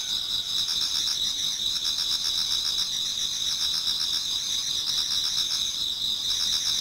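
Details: Many insects sing in a Japanese garden toward dawn in autumn, their high continuous trills overlapping with fast pulsed chirping into an unbroken, shimmering wall of sound.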